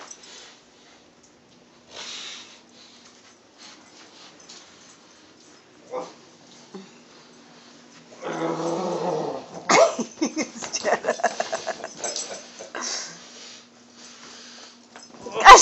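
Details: Household dogs in a tug-of-war game as an old hound grows annoyed: after quiet scuffling, a low throaty growl rises near the end, followed by a run of quick rasping pulses and snorts, with laughter and talk nearby.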